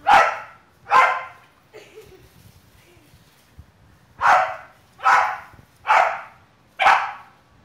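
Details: Female Bulldog named Snuggie barking while playing soccer with a boy in a backyard; six sharp, broad barks, most spaced about a second apart with a pause in the middle, faint voices between.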